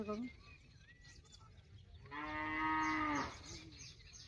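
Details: Working bull on a traditional Konkan farm, readied for ploughing; after a quiet stretch, a single long, even moo of just over a second rises from the background, then fades with faint speech nearby.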